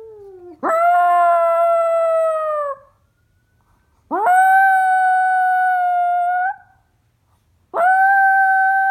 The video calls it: Howling Chihuahua Mix Dog